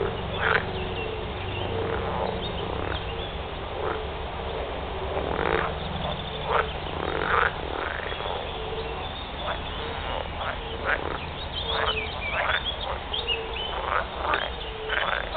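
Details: A chorus of edible frogs (Pelophylax kl. esculentus) gives rough, rattling mating croaks in quick overlapping bursts.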